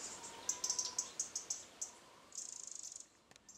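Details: Stoats having fun in a garden on August 4, 2013: a run of separate sharp high chirps roughly every tenth of a second, then a quicker buzzing trill of evenly spaced pulses, faint steady hum beneath.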